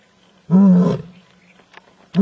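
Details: An Asiatic lion from Gir gives a deep, throaty roar, and a second roar begins just as the recording ends.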